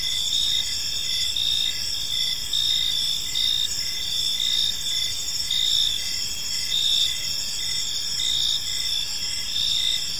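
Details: In a peaceful park at evening, crickets chirp steadily: overlapping shrill trills hold constant while a lower pulsed chirp repeats close to once a second throughout.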